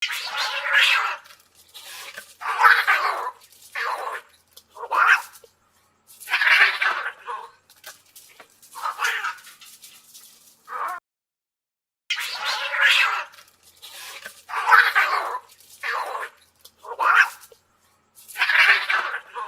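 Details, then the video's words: Domestic cats fighting: harsh, noisy yowls and hisses in bursts of about half a second to a second, broken by short silences, repeated throughout. "Cats Fighting"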